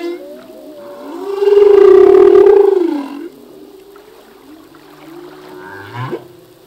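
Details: Male humpback whale singing in the ocean, part of a full-length song whose phrases change each year: a long, loud, steady moaning tone swelling in the middle, flanked by softer gliding wails and a brief upward sweep near the end.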